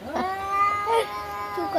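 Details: Cats quarrelling in a fight, with one sustained, steady, nasal yowl holding its pitch, rising slightly at the start and sliding down at the end.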